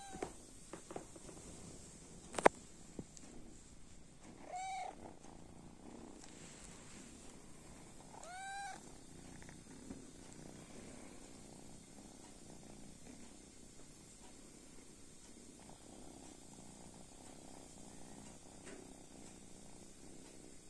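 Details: Kitten asleep, giving two short, high, wavering meows about four seconds apart amid a quiet room, with a sharp tap early on and soft low rumbling in between.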